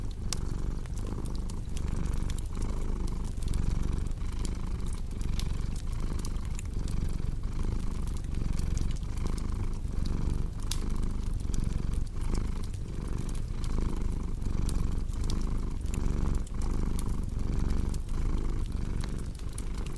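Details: Domestic cat purring beside a crackling fireplace in a relaxing sleep mix: a deep, steady rumbling purr that pulses in regular cycles under frequent sharp crackles and pops from the fire.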